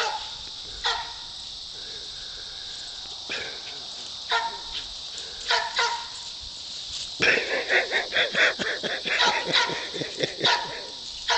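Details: Poodle herding goats barks in short, sharp bursts, a few spaced single barks early on, then a rapid run of repeated barks in the final seconds, over a steady background hiss.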